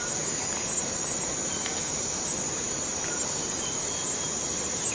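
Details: A Borneo rainforest cicada keeps up a flat, intense high buzz without pause, the level barely varying, while faint clicks and short tones from other forest sounds appear now and then.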